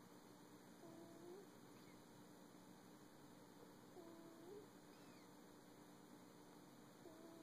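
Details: Sunny, a pet cat, makes funny noises while sleeping on a cold day: soft rising squeaks that recur about every three seconds over a steady indoor hum.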